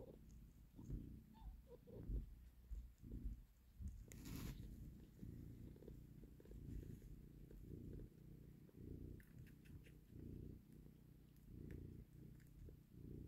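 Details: Mother cat with her kitten, having taken the baby from a hand: a steady, low rumbling purr in rhythmic breathy pulses, with a short rustling burst near four seconds and faint clicks in the background.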